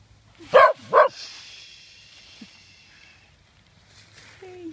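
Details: Pet dogs, a Yorkie, Morkie and Schnauzer, romping in leaves outdoors in November 2013; two quick loud barks close together, then a trailing whine-like hum and soft rustling, with a woman's voice at the end.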